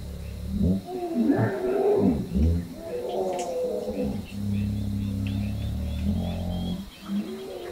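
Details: A hippo bull in Southern Africa gives a challenge: deep, rumbling bellows broken into rough, grunting pulses, then a long, steady low drone, all loud and close.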